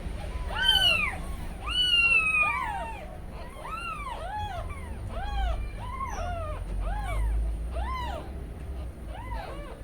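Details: Newborn kittens with umbilical cords still attached cry out searching for their absent mother Kujma; a run of about nine high, arched mews roughly once a second, each bending up then down, with soft room hum beneath.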